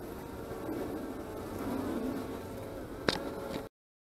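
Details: Honey bees at the apiary, 25 March 2015: steady buzzing hum with passing bees rising and falling in pitch, a sharp click shortly after three seconds, then the sound cuts to silence.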